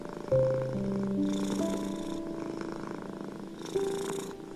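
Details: Soft, rhythmic purring of a domestic cat, its breathy pulses rising and falling about every one and a half seconds, blended with gentle held piano chords meant to calm stressed cats.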